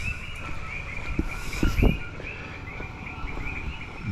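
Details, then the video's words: Many coquíes calling at night in the El Yunque rainforest, a dense chorus of short, repeated chirping notes running steadily throughout, with low thumps and handling bumps underneath. "aquí, escuchen eso. Esto va a ser un deleite estar en este monte esta noche aquí con todos esos coquíes, como estar en casa."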